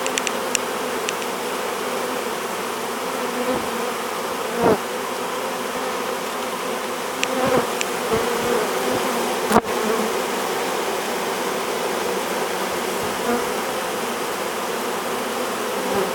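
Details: Hived honey bee swarm lined up fanning at the entrance: sustained buzzing drone over sixteen seconds, broken by occasional knocks and clicks, one sharp tap near the middle.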